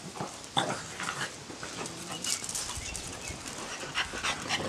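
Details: Four French Bulldogs play-fight in a wrestling match, growling low and rough in snatches, mixed with snorts and scuffling.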